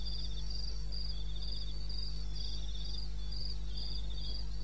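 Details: Nighttime cricket calls from eastern Botswana's wilderness, 21 May 2016 at 2:30 AM: bright, high chirps in a regular rapid rhythm, alternating with short lower buzzy trills, set against an unbroken low-pitched hum.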